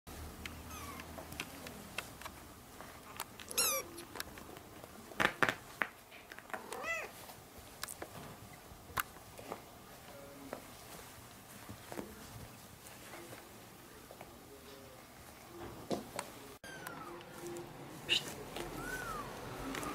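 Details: Orange kitten at play, its calls described as calling for its mother and heard by other kittens; a few faint, short meows rise out of a steady, noisy indoor background with scattered knocks and rustles.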